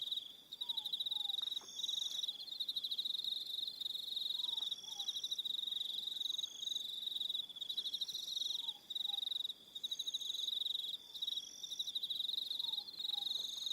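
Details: On Aroha Island, New Zealand, an evening cricket chorus buzzes in continuous high rapid pulses, several callers overlapping, while a quiet double-note descending whistle returns roughly every four seconds.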